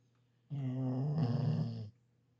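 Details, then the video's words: An old female Labrador Retriever gives one long, rumbling snore lasting over a second, deep and rattling with a slight buzz, against a faint steady indoor hum. "So laut schnarcht ein Labrador?"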